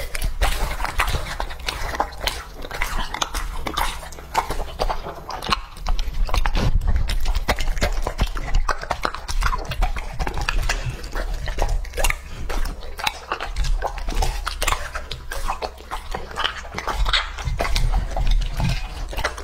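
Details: A long stretch of Lucky, the two-and-a-half-year-old male English-type Labrador Retriever, chewing raw meat: continuous sharp crunching and snapping bites, steady and loud throughout, with no other clear sounds.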